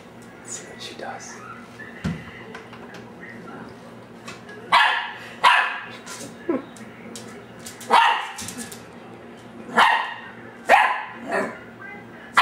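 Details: Ten-week-old dachsador puppy Ellie, half lab and half dachshund, taped December 2008 barking at her own reflection in the glass; spaced sharp yapping barks every second or two, with a woman speaking in between.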